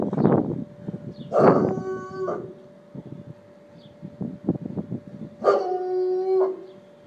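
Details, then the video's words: An 11-month-old Bloodhound, nervous about the neighbours' party preparations, bays at them with long, deep, mournful bays that hold a steady pitch before trailing off. "Bloodhound (11 months old) baying at the neighbors."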